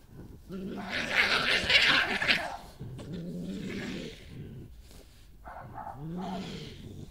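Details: Female badger, the dominant resident, confronting an intruder badger on her patch, with ground scraping and a scuffle; most growling comes from the newcomer. Low rumbling growls repeat in bursts, with harsher higher-pitched snarling noise early on.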